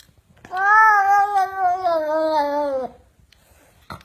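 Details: Pet cat grumbling and meowing as though wanting to go along to the market: one long drawn-out meow, strongly harmonic, starting high then sliding slowly downward for over two seconds, followed by a short click and quiet room.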